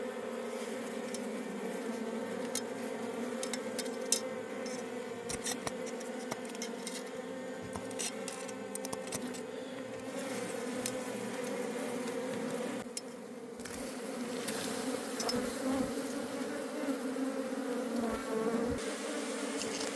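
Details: Wild honey bee colony in a forest during a honey harvest, with the colony being taken home: a steady, dense droning hum with layered overtones throughout, overlaid by frequent clicks, scraping and tapping noises.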